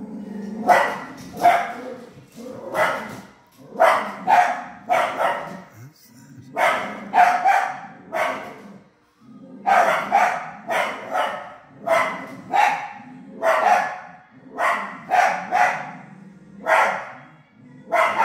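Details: Coyote, or possibly a wolf, at Dunrobin, Ontario, giving a long series of harsh barks and yelps in clustered bursts of two to four, about one burst per second, with a short break near the middle.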